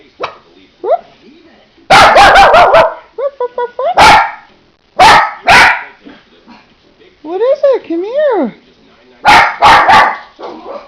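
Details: Bursts of rapid, repeated barking from Teddy the dog, sometimes three or four barks in a row, interleaved with a person urging him to come here and asking what he sees.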